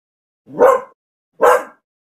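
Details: Nico, a Shih Tzu being groomed at a grooming salon, gives two short sharp barks about a second apart in an otherwise quiet room.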